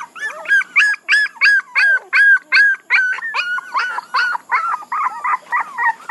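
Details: Loud, regular puppy yelps repeated about three times a second, each a short arched whine with bright overtones, one young dog calling insistently while others whimper softly beneath.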